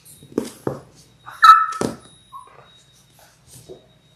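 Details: Six-week-old Labrador Retriever puppies, a litter of six born January 18, 2022, on an indoor live puppy cam; one sharp, high, steady whine lasts about half a second, then a short softer squeak follows amid thumps and scuffling.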